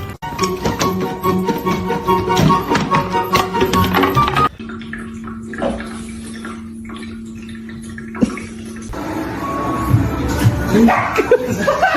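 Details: Loud music cuts to a steady droning tone with splashing water, then music returns.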